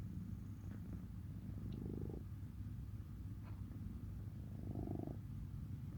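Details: Cat purring softly and continuously, a deep rumbling drone that swells in two pulsed stretches and runs steadily throughout.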